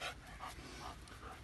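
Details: Heavily pregnant German Shepherd female, about 45 to 50 days along, panting softly in breathy puffs roughly every half second over a low background hum.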